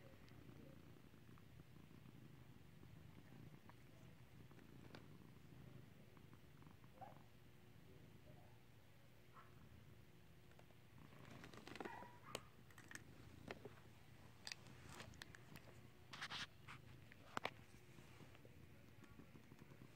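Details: Domestic cat being clicker trained to ring a bell, purring indoors: a steady low, pulsing rumble through the first half, then sharp scattered clicks and taps break in over the purr.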